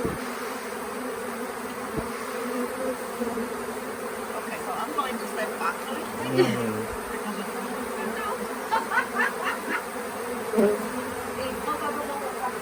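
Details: Swarming honey bees, unusually late in the year, being collected into a nuc box at the Tamarind Tree Hotel: a continuous low buzzing drone, with brief human voices breaking in around the middle and near the end.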